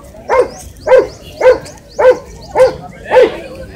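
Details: Shih Tzu, a small pet dog, barking in a steady series of six short sharp yaps, roughly one every half second, with a quiet room behind.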